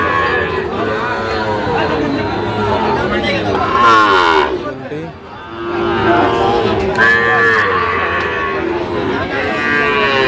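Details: Sahiwal bull calves at the Ambari cattle market in Dinajpur district, Bangladesh, on Friday, 17 October 2025. Drawn-out harmonic lows swell and fade twice, a few seconds apart, over steady crowd chatter and bargaining voices.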